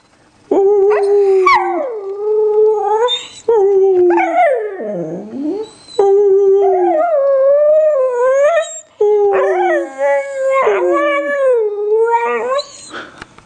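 A Cocker Spaniel howls in long, wavering, rising and falling notes, almost like singing.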